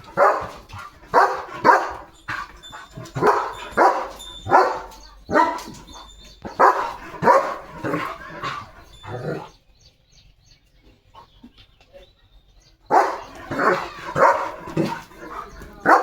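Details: A German Shepherd roaming its farmland in the morning with heavy rain about. Loud, sharp barks repeat roughly every half second to one second, then a few seconds of near silence, then another burst of barking.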